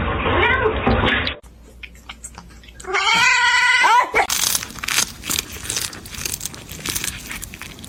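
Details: Domestic cat meowing: a short wavering meow, then a loud, drawn-out meow rich in overtones lasting about a second, followed by broadband rustling and clattering noise.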